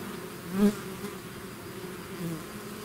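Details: Steady droning of a bee swarm outside its hive, with one bee zipping loudly past near the start and another briefly rising toward the end.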